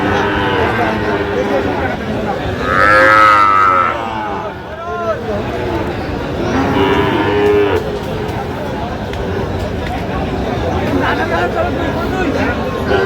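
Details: Sahiwal bull calves at a cattle market: two drawn-out, arching moos, the first rising then falling, the second lower and flatter a few seconds later, with men talking throughout and crowd murmur behind.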